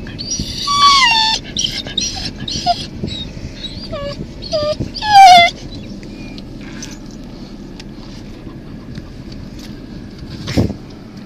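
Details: An Alaskan Malamute in Hutchinson, Kansas, gives a run of high, falling whines and yelps over the first six seconds.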